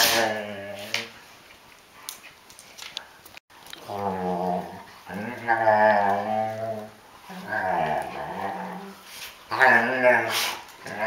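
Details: Two female Rhodesian Ridgebacks, a young dog and her mother, play indoors during days of rain: long, throaty, rumbling growls in several drawn-out bursts separated by short pauses.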